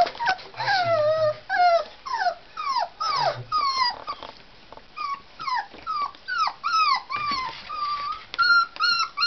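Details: Tibetan Terrier puppies born 23 October at a Hungarian kennel, playing and tugging indoors; rapid run of high whining whimpers and yelps, many falling or rising, about two per second, with brief low growls and a woman talking.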